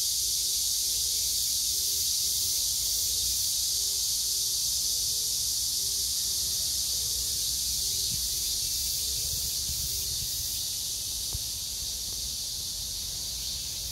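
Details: Cicada chorus by a date-plum tree, morning glories, pumpkin leaves and peppers: a loud continuous high-pitched hiss-like buzz holding evenly, with a soft low pulsed note repeating through the first ten seconds.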